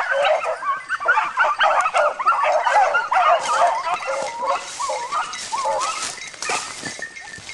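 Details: Several dogs at wild boar training yelp and bark in a frantic, overlapping stream of high, wavering cries, roughly three per second, easing slightly toward the end.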